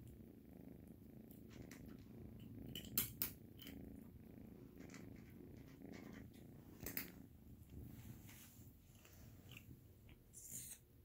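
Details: Kitten purring indoors in a small room, a steady low rumbling purr running throughout, with occasional clicks, crunchy chewing noises and brief rustles over the top.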